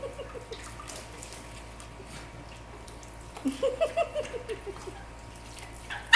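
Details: Norfolk Terriers Zeus and Hera at pool play in The FQ; a quick run of about eight short, yelping notes comes in the second half, with lapping water throughout and a brief voice at the very end.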